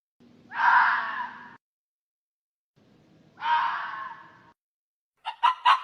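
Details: Raposa-do-campo, the hoary fox, utters two drawn-out hoarse screaming calls about three seconds apart. A quick burst of three short, sharp notes follows at the end, and there is a faint steady hum in the background.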